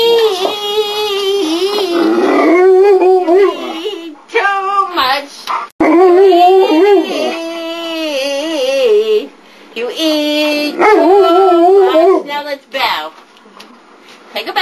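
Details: A big 144-pound dog howls in long, wavering, quavering tones, singing a duet with her owner amid laughter.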